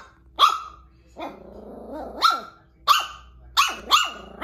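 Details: Silver toy poodle named Eve, scared of a lion doll placed on the floor after three months on the sofa, barking from under the sofa: about five sharp high barks between low growls, with a person's voice.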